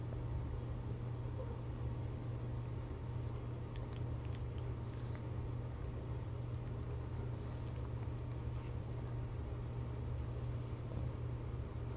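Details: Low steady engine-like rumble with faint indoor rustling and no animal sound.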